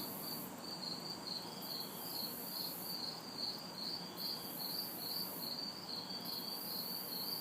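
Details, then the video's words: Summer night chorus of crickets and cicadas recorded in a city backyard, hot and humid: rhythmic high chirps pulsing roughly two to three times per second over a sustained shrill drone that swells and fades, with soft far-off traffic noise. "Summer Night Sounds ~ Crickets, Cicadas"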